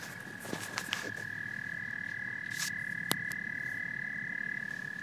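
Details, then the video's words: Steady, unbroken high tone from a frog and toad chorus, with scattered soft clicks and faint rustling bursts in the background. "Frogs and Toads Symphony"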